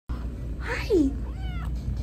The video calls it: Wee kitten meows